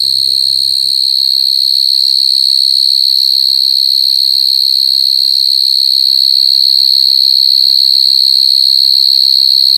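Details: Coconut crickets crying in one sustained, piercing, high whistle that holds steady for the whole stretch. Brief faint voices come at the start, with low background rumble later.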